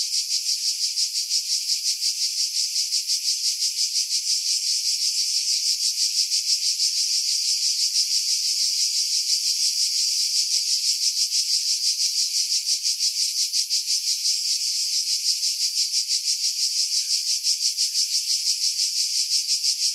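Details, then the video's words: Summer cicada chorus from pine trees at Pefkos Bay on Skiros Island, Greece, July 2018, wind noise filtered out; unbroken, very high buzzing wall of sound with fast regular throbbing throughout. "Cicada Sounds, July 2018 Skiros, Greece"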